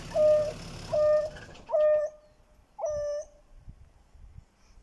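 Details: In Kruger National Park, an African wild dog with blood on its face gives soft, owl-like hoos about once a second, calling the rest of its pack, which then arrives.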